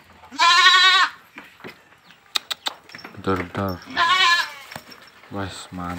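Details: Boer goat kid, fullblood, about 110 days (three and a half months) old, let out of its pen at a farm in Blitar; two loud wavering bleats with strong harmonics, near-silent gaps and clicks between, a man talking over the end.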